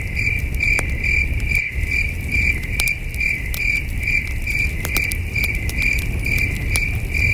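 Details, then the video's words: Crickets chirping at night at a peaceful camping site under a starry sky, a steady run of short, high pulses about two or three per second, with campfire crackles snapping now and then over a low rumbling background. "Soothing Cricket Sounds"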